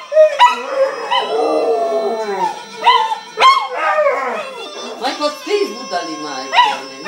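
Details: A Maltese dog sings in drawn-out, wavering howls that rise and fall, with people talking; Maltese dog.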